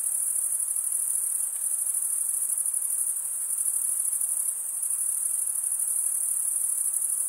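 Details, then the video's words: Crickets, the males stridulating by rubbing one wing's edge along a toothed vein on the other, fill the air with a dense, unbroken high-pitched trill that pulses faintly but never pauses. No other sounds are heard. "Most relaxing cricket sound for 8 hours"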